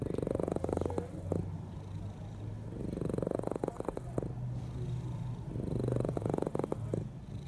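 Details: Sleeping cat snoring loudly: a deep rumbling purr that swells and fades in long breathing cycles roughly every three seconds, with a low steady hum underneath and occasional soft clicks.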